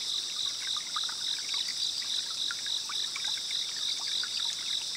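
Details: Distant cicadas in the Kayukawa forest at Minami, Gujo, visited on a rainy holiday: a steady high shrill buzz pulses about three or four times a second over soft trickling water and scattered drips.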